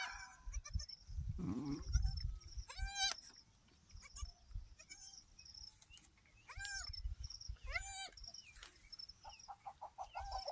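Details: Goat on a farm during the birth of three female kids. Several high, quavering bleats with wavering pitch, spaced irregularly a few seconds apart, over a low rumbling background with soft handling noises.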